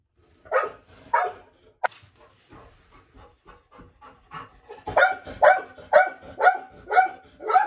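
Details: Golden Retriever Hana, an eager eater, during an indoor treat time. A few high yelping barks come first, then a run of sharp, harmonic barks repeated about twice a second.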